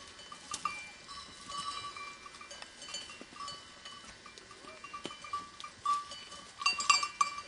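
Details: Grazing sheep bleat in short wavering bursts, with bell-like tinkling and faint field noise, possibly among grazing goats and goat babies.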